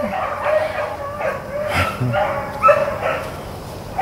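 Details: Rabbit-running hounds, Blackcreeks and Blueticks, recorded April 4, 2013; a few distant, ringing bays and yelps rise over a constant low rumble, with brief faint sounds in between.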